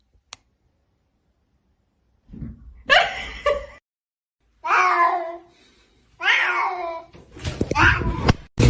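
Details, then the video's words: Kitten meowing indoors: four drawn-out, wavering meows spaced about one and a half seconds apart, each with a rich harmonic stack, ending in a noisier, harsher cry, with a brief click at the start. "kitten meowing call"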